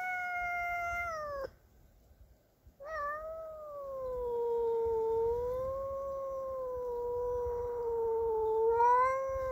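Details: Domestic cat angry at a neighbour's cat entering its territory, yowling in defence: a long steady wail, a brief pause, then one drawn-out wavering moan that slowly dips and rises again before swelling at the end.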